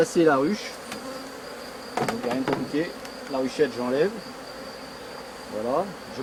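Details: Bees from a rescued drone-laying honey bee colony; a few distinct fly-by buzzes with swooping, rising and falling pitch, separated by quieter gaps with a soft background hum and a faint high whine.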